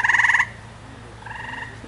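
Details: Small, loud tree frog with a big balloon-like throat sac calling from a tree: a fast pulsed trill ending abruptly, followed by a softer, more distant trill from another frog.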